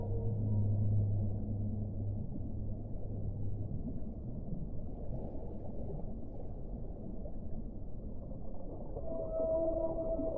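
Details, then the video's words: Whale song: a deep sustained low moan for the first few seconds, then steady underwater rumble, and a clear higher tonal note near the end. "1 ora di suono delle balene"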